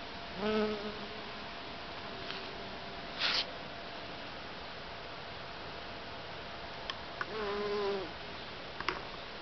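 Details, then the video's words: Honey bees working flowers in a back garden by day: two distinct low humming fly-bys, one near the start and a longer one near the end, with harmonic overtones, plus a short rustling burst between them over soft background noise. "Honey Bees Working"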